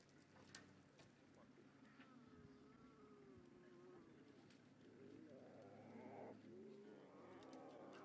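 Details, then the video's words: Nkhuma big cat cubs at sunrise on August 23 greet their mother as she returns from drinking at a pan, calling loudly while seeking to suckle; drawn-out wavering moans and growls rise and fall over a steady low engine hum. "Nkhuma Cubs Greet Mom with Lots of cubby growls"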